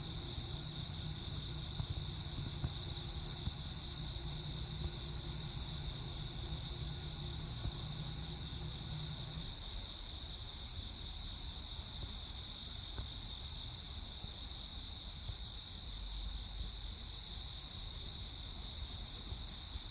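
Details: Crickets on Jeju Island on the night of 15 August 2024, during a lightning storm: steady high, pulsed chirping in several overlapping bands, with a deep low rumble under the first half that then fades.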